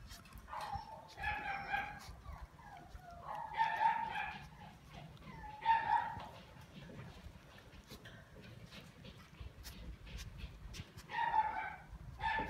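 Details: Whimpering from a male Shiba Inu: brief nasal whines with stacked harmonics, repeated irregularly about every two to five seconds, with a soft noisy background throughout.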